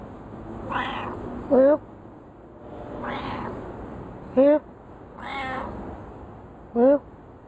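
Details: Domestic cat answering its owner in a back-and-forth exchange at home: three human meow imitations, each quickly followed by the cat's brief, clear, upward-sliding meow, roughly every three seconds, steady hiss underneath.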